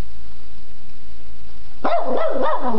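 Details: A Boston Terrier barks at a stuffed animal, letting out a quick run of high, wavering, yappy barks after a quiet moment.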